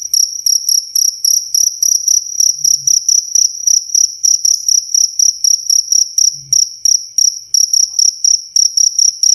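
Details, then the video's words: A cricket gives crisp, shrill chirps in quick succession, roughly four a second, recorded cleanly as tutor sound for songbirds and as a sleep aid; occasional faint low knocks. "SUARA JANGKRIK SUPER JERNIH"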